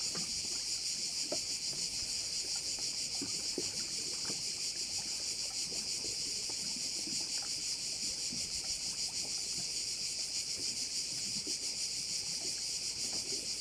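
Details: Crickets at a bay on Korčula: a dense, steady, high-pitched buzzing chorus with a fast shimmering pulse runs throughout, over scattered faint low knocks and splashes.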